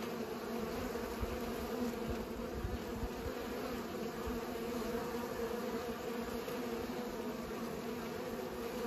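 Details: Bees humming as they pollinate, a constant droning buzz with rich overtones, slightly fuller and rougher in the first seconds, then evening out.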